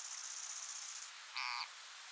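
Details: Frog seized by a grass snake struggles to break free and gives a single brief, squealing cry with stacked bright harmonics. A thin, high steady whine comes first, all over constant background hiss.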